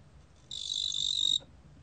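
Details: A single high, rapidly pulsed trill from a fat cricket (뚱보귀뚜라미), lasting almost a second with a steady tone, then silence apart from soft low rumble.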